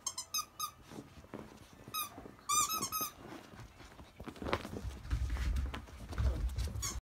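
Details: A rapid run of thin, piercing whimpers from Akita puppies aged 52 days, born to the mother dog Jun and still drinking mostly her milk, the largest over 7 kg. The whimpers give way to low thumping and rumbling handling noise.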